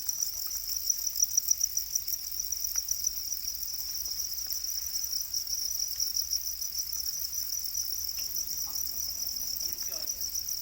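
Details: Domesticated Para crickets, also called black crickets, produce a steady, high-pitched shrill chorus that pulses rapidly and evenly throughout, with occasional faint clicks and rustles beneath.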